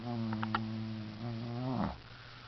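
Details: Shih Tzu named Nana snoring loudly while asleep: a long, buzzy, droning snore lasting almost two seconds that fades out, with a few soft clicks early on over a steady low hum.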